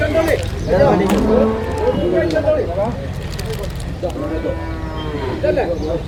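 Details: Young domestic water buffalo at the busy Manjeri cattle market in Kerala, India, offered to buyers. Several drawn-out, wavering bleating moos with clear harmonics come in two bursts, separated by a quieter stretch with background chatter.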